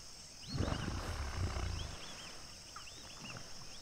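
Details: Common hippopotamus from a pod at sunset, Duba Plains, Okavango Delta: one deep, rumbling, resonant grunt lasting about a second and a half, while birds chirp in short high arching notes around it.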